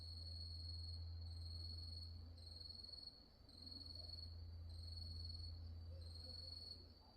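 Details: After nightfall at Wonhyosa, Mudeungsan, in October 2024, grass insects keep up a sustained shrill high trill broken into rhythmic bursts, with one short dip in loudness and a steady low hum in the background.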